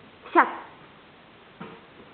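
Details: Border Collie named Stroszek, 15 months old, playing at home indoors; one short, sharp bark rings out, followed a moment later by a fainter, softer second sound, in a quiet room.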